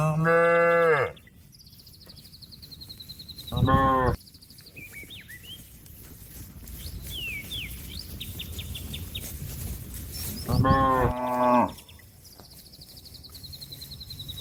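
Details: A cow gives loud, drawn-out moos, calling to a companion that is grazing in a field, with birds twittering in the background.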